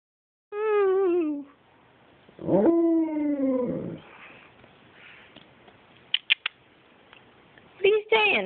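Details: Alaskan Malamute indoors making drawn-out 'wooing' singing sounds: a wavering, falling harmonic howl followed by a second sliding woo, then quiet clicks and short bursts; no talking is heard.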